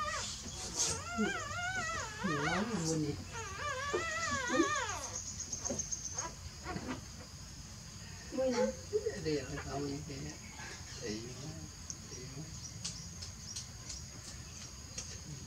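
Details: Newborn puppies sleeping, giving wavering, squeaky whimpers in runs of rising and falling cries during the first five seconds, then a softer cluster of whines near the ninth second, with quiet rustling between and a steady high hum behind.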